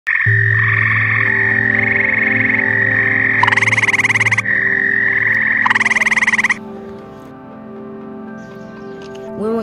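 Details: Grey tree frog found while camping, in deciduous forest near ponds: two loud, fast rattling trills each lasting about a second, set against sustained background music tones.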